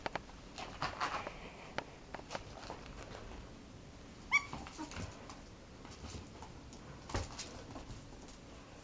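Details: Highly excited pet ferret indoors in a small room, making quiet muttered "pup pup" sounds: soft scattered short clucks with one brief tonal squeak midway, amid light handling and rustling noise.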